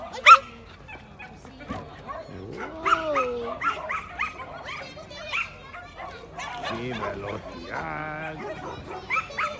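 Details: Welsh terrier barking during a clean agility run in Barcelona, 8 February 2020: sharp, high yapping barks scattered through the run, with whining tones and people talking in the background.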